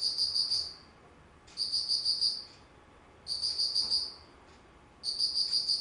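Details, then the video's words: High, buzzy insect chirping in autumn, 19 September 2009: longer pulsed bursts of about a second, separated by short silent gaps, repeating steadily with a faint tick heard between bursts. "秋 虫の鳴き声"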